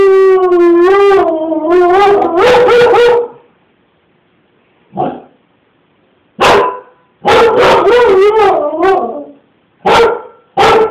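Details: Baloo, a pet Siberian Husky, barking at a man chasing his kid down the street: long wavering howl-like yowls for about three seconds, then short sharp barks and yodelling, rising-and-falling cries after a pause.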